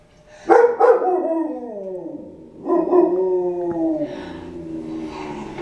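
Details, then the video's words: Dogs howl while watching Doctor Zhivago, two sharp yelping onsets sliding into falling, wavering howls, then another drawn-out howl that droops and fades, with faint background noise. "dogs watching Docter Sivago"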